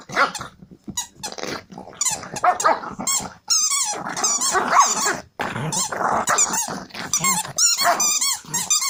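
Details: An angry Pekingese growls and squeals in bursts, high and rasping, while playing wildly.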